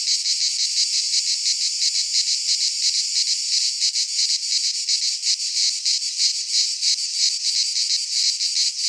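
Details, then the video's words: Midsummer cicada chorus recorded in a pine forest in Greece, a continuous shrill buzz pulsing rapidly, about three beats a second, holding an even loudness from start to finish with nothing else heard. "Cicadas singing in midsummer - Nature sounds from the Greek fauna - Sounds of cicadas"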